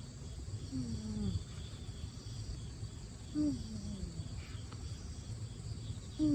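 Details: Siberian kitten sound asleep indoors, its nose whistling as it breathes: soft, slightly squeaky tones that slide downward, recurring every two to three seconds over a steady background hum.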